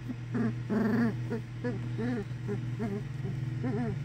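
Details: English Springer Spaniel puppies from Ruby Todd's first litter at Bigfoot's kennel, the Harry Potter litter of Hagrid, Luna and Bellatrix, giving a run of short harmonic whimpers and whines, some drawn out, others clipped, over a steady low hum.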